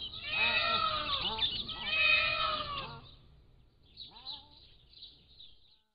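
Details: Captive Pallas's cat kittens aged 3 to 7 weeks, filmed by a motion-activated trail camera, give two long, loud, wavering mews in the first three seconds, then one short faint call as birds chirp high in the background.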